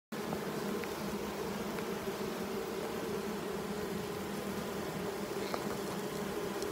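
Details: Honey bee colony nesting in a chimney under a roof, recorded 4 July 2019: a steady, continuous low hum of many bees without pause, with faint clicks and knocks on top.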